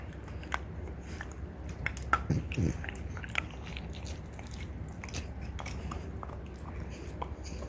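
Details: Ume and Roku, female French Bulldogs (mother and daughter), crunching deer antler; rapid, irregular ticking bites, a brief louder flurry midway, then lighter continuous scraping.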